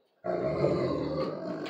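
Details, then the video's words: Central Asian Shepherd dog vocalizing indoors, asking to go outside after ringing a bell; a loud, low, drawn-out grumbling moan lasting over a second with rough harmonic texture, owner speaking before and after. "Central Asian shepherd talking"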